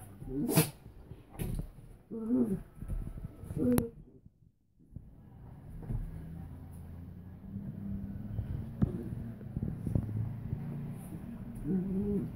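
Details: Suzy the Doberman and Chica the Min-Pin/Terrier playfighting; short bursts of low, throaty growling near the start, a quiet gap around the middle, then a steady low rumble and another growl near the end.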